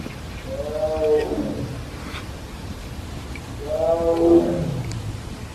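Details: A tiger at Everland zoo in Korea, calling repeatedly through the morning: two drawn-out moaning cries, each falling in pitch with rich harmonics, about three seconds apart, over a steady background hum.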